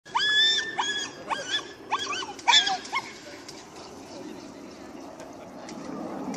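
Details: Irish Staffordshire Bull Terrier chasing a lure: a burst of high, strained whining yelps in quick succession over the first three seconds, sliding up and down, then fading into quieter rustling and background noise.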